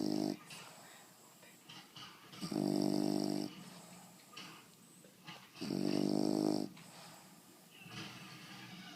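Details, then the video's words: Ninja, a female bulldog, asleep and snoring: two long, loud, buzzy rasping snores about three seconds apart, each lasting roughly a second, with quiet breathing between. "Snoring Bulldog"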